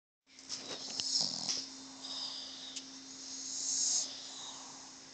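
A Boston Terrier snores with raspy, hissing breaths over a low, steady background hum.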